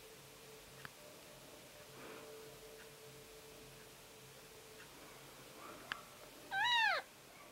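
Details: Newborn Siamese kittens, born September 14th; after faint murmuring and soft rustles, one kitten gives a single loud, sharp, arched mew rising then falling, near the end, with a low steady background hum.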